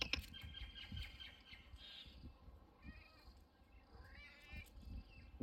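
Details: A cat from a few streets away makes friends with a Miniature Schnauzer dog met on a walk. Several faint, drawn-out harmonic meows, one rising then falling, sound over low outdoor rumble and shuffling footsteps.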